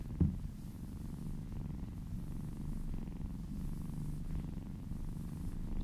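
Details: Happy house cat purring during a massage: a low, even rumble that holds throughout, with a brief tap near the start.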